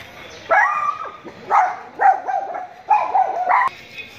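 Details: Poodle giving four short, tonal bark-like bursts about a second apart, each with a bright, slightly wavering pitch and brief gaps of quiet between them.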